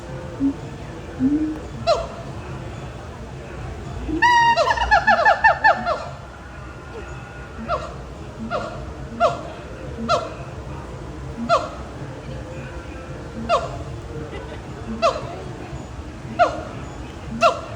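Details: Monkeys at Disney's Animal Kingdom give loud, hoarse hoots repeated about every second and a half, with a brief chattering burst.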